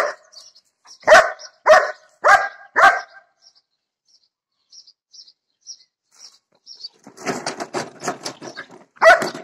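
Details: One-year-old German Shepherd bitch Figa attacking a lawn mower: four loud, evenly spaced barks open, then a pause with faint high chirps, then a dense noisy flurry ending in one more sharp bark.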